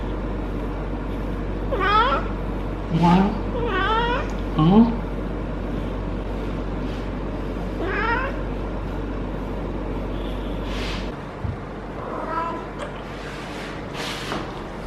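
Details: Feral female cat Harley, in her first heat, yowls constantly while rolling and being stroked at the base of the tail. A run of wavering, bending yowls fills the first five seconds, another follows near eight seconds, then softer cries over a low rumble.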